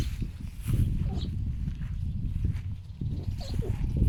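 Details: Pet foxes rescued from a fur farm give rapid, throaty, pig-like grunts over a bird killed by strong wind, unsure what to do with it, while a person talks nearby.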